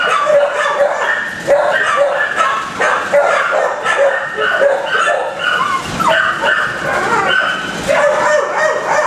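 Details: Several kennelled dogs barking together in a shelter kennel block, a constant overlapping chorus of sharp, fairly high barks, several each second, with no pause throughout.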